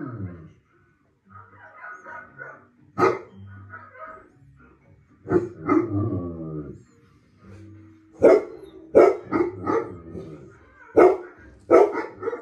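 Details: Confused Golden Retriever reacting after recognising a German Shepherd on television: whiny, voiced vocal sounds and scattered sharp barks, a cluster of loud barks in the second half, with television sound in the background.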